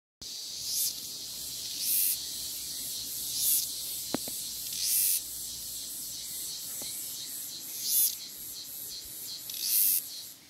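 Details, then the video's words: Cicada singing freely in nature: a steady, hissing high-pitched drone with louder buzzing surges roughly every one to two seconds, and a few sharp clicks. "Canto da cigarra"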